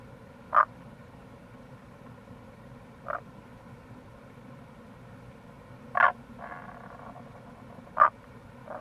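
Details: Tago's brown frog at the Kamo River gorge, Itoshima, Fukuoka, Japan, in April: loud abrupt single croaks spaced roughly two to three seconds apart, a faint rasping call between, and a steady soft water background.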